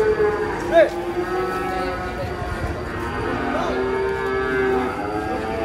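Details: Giant cow, described as raging, being unloaded from a truck; a long, low, harmonic moo runs through the clip with a brief higher squeal near the start, over a steady background hum.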